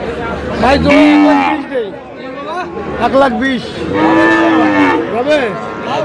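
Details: Seven-to-eight-month-old Friesian and cross-breed bull calves at Aftabganj livestock market, Dinajpur, bellowing: repeated long, level moos overlapping with shorter rising lows from several animals, amid people talking and crowd chatter.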